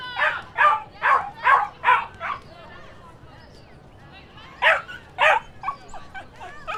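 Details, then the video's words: Dogs and puppies barking: a quick run of six sharp, high yapping barks, a pause, then more barks and yips in a looser pattern, with a clean background. "Som de Cachorro e Cachorrinhos Latindo"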